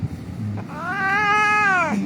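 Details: Hurt cat rescued from a street, being held for treatment, gives one long, steady, drawn-out meow lasting over a second, with faint low rumble behind it.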